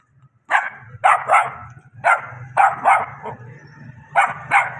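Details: Puppy barking: a rapid series of sharp, high yaps in clusters of two or three, about eight barks in under five seconds, over a low background hum.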